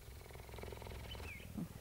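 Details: Female cheetah purring while being recorded at a cheetah centre in Parys, South Africa, on 5 May 2019; low pulsed rumbling throughout, with faint birdsong overhead and a brief clatter near the end.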